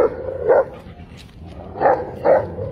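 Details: Alaskan Malamute, a giant breed, kept as a pet, gives three short, muffled woofs: one near the start, then a pair about half a second apart, over steady low background noise.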